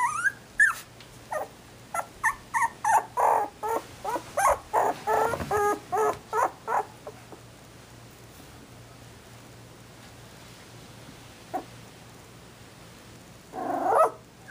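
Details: Newborn Shetland Sheepdog puppies, a litter born 18 December 2012, give a rapid series of short, high yips and whimpers, about a dozen in quick succession, then fall quiet before one longer whine rises at the end.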